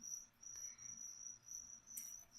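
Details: Feeder crickets at a leopard gecko feeding give a continuous shrill, high trill that pulses rapidly, with a brief rustle near the end.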